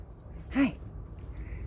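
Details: One brief, sharp yip from one of the 11-week-old puppies during a sit-and-treat training session; a single short burst mid-clip over a low steady rumble, with no other voices.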